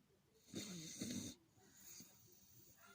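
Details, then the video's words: A pet dog lets out a single raspy, fluttering snore lasting under a second, followed by faint quiet breathing. "храпит как собака"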